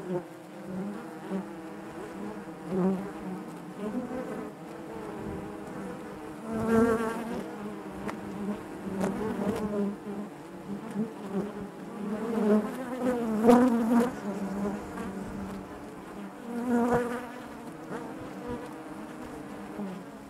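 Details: Natural buzzing of honey bees within the hive, a continuous low droning hum with rich stacked overtones, rising and falling in waves, with several louder close passes and faint clicks over about twenty seconds.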